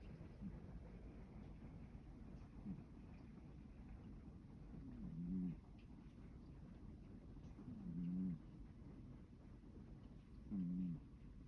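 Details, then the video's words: Sacchan, a male rescue cat born around spring 2019, sleeps comfortably in the evening and snores softly. The low, faint snores repeat roughly every two and a half seconds over a steady background hum. "夕方に.. いびきをかいて.. 気持ちよさそうに眠る猫…"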